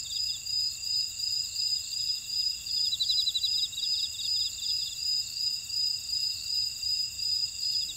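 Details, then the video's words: Grass insects in a buckwheat field at Ora-dong, Jeju Island, South Korea: a steady high-pitched chorus of overlapping shrill trills, with one pulsing chirp rising and falling in loudness about every half second. "쉬고싶을때 듣는 제주 메밀밭의 풀벌레 소리 (Sound of a buckwheat field)"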